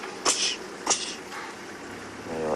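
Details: Impala give alarm calls at sunrise on 5 May while lionesses feed on a kill nearby: two sharp, explosive snorts about half a second apart, then a brief tonal voice at the end.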